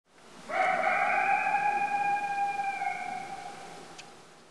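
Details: A young wolf in Yosemite, hidden in bushes, gives one long, steady, high-pitched howl that holds its note for about three seconds.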